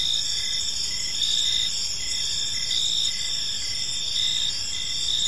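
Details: Evening park ambience of crickets, a dense high-pitched chorus of pulsing chirps layered over one another, rhythmic bursts repeating about once a second against a faint low background hum.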